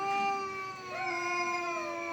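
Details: Kariya, a black pet cat, facing off with another cat: sustained low-pitched growling yowl held for two seconds, pitch stepping slightly up and then sagging, strongly harmonic.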